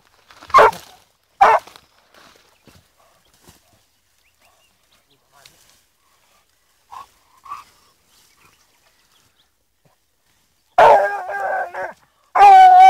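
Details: Fourteen-month-old blue griffon female on a wild boar trail, giving two sharp barks early, two short soft yelps midway, then a long drawn baying howl at the close.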